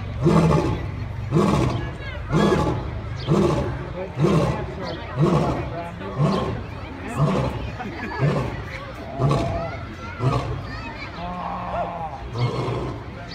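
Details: Roaring lion of the African savanna, calling to mark territory and communicate with its pride: a steady series of deep, grunting pulses about one per second, gradually weakening toward the end of the sequence.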